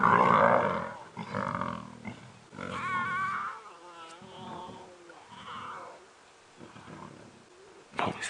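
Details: Young lions of the Nkuhuma Pride snarl and growl in harsh, rasping bursts during a short fight. It happens beside a safari vehicle they ignore on a sunset drive at Djuma Private Game Reserve, 18 November 2016, with a man talking throughout.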